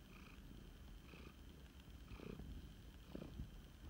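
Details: Flame point Siamese cat, male and rescued, purring during a snuggle at home: quiet low rumbling throb with a few soft rustles.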